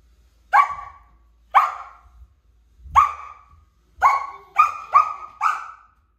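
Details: A Samoyed puppy gives a run of sharp, bright barks, some single and some in quick pairs, barking at a stool being moved by a toddler.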